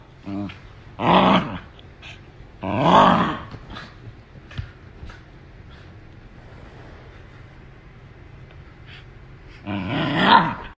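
A West Highland White Terrier puppy lets out rough, growling barks in three separate bursts, each about a second long. Between them are quiet gaps with faint shuffling.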